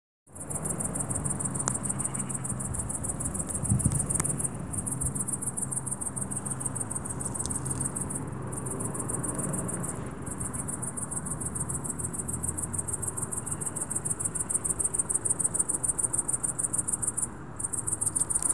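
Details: Cricket chirping at dusk: a very high, shrill pulsed trill runs almost without a break, with a few short pauses, over a steady low rumble of background noise.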